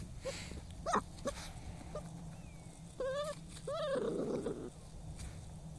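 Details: A dog named Spyke hunting moles lets out scattered short squeaks, then two arched, harmonic whines about a second apart, and a brief rough huff follows in a quiet outdoor setting.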